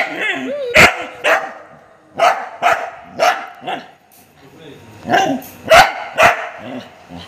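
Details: Angry Golden Retriever barking in a rapid, irregular series of sharp, broadband barks, about two a second with short pauses, while a person speaks to the dog nearby.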